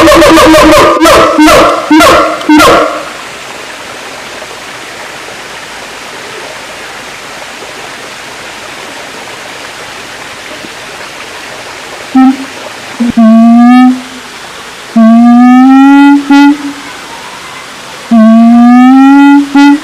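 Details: Siamang call sequence: a rapid burst of loud, evenly spaced pulsed notes, a long quiet gap, then several sustained, harmonic-rich notes each gliding upward, repeated every second or two.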